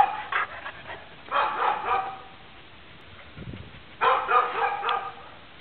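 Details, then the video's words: Neighbour's dog barking through the morning, heard from inside a home: three bursts of rough, repeated barks around one to two seconds apart, separated by quieter gaps with low background hum. "Annoying (neighbor's) dog barks"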